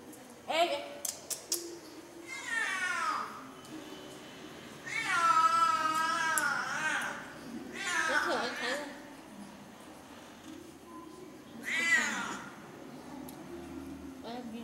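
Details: Household's pet cat family gathered indoors, with an outside black cat that the others fear. Several drawn-out, wavering meows, one long and pitch-sliding, come in four bouts between bursts of human speech.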